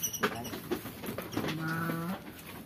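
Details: Garut sheep raised on a farm beside a rural house in Kampung Sedekan, Mekarlaksana village, Sindangbarang, South Cianjur: after some knocks and rustling, one steady, nasal bleat lasting under a second.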